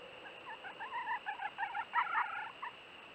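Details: Red fox kits about one month old at the den entrance on a March 17 early evening, after following the vixen out: quick bursts of short, high, squeaky chirps and whines, clustered over three seconds above a steady low hum.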